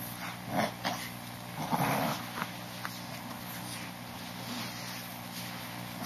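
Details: Boston Terrier puppy, 39 days old, giving a few short, soft whimpering squeaks and snuffles, with one stronger cluster near the start, over a steady low electrical hum.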